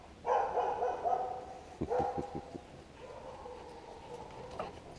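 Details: Dogs on Mount Etna near Tardaria, Pedara, Sicily, filmed in 2015 while being called over by a man; drawn-out whining, yelping tones with a quick burst of short pulses midway, and a man's voice nearby.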